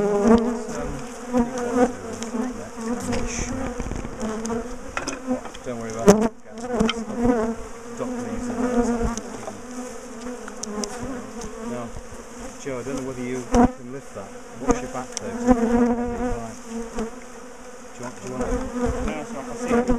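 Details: Steady roar of a large bee colony as its top bar hive is taken apart and moved; the humming drone stays constant for the whole stretch, with a few sharp clicks and knocks.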